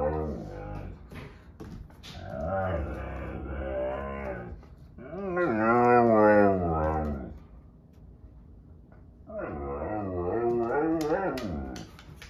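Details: Sasha, a Husky-Malamute mix dog, complains indoors while a Husky and a Doberman play nearby; three long, wavering, singing howls rise and fall in pitch, separated by brief quieter gaps.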